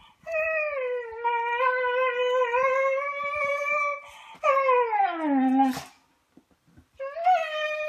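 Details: Beagle puppy howling indoors while playing with littermates: a long sustained harmonic howl holding steady for about four seconds, then a second falling howl sliding downward, and a short rising yelp at the end.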